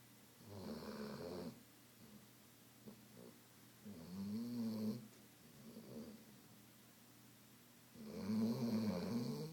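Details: A female Weimaraner, exhausted and sleeping after hours of swimming, playing and running at the dog park, snores in slow, harsh, rattling low breaths roughly every four seconds, with quiet room tone between.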